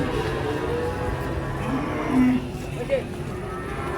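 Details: Cattle unloading from a truck. A short, mid-pitched moo rises out of a noisy mix of background music, people talking and low rumbling.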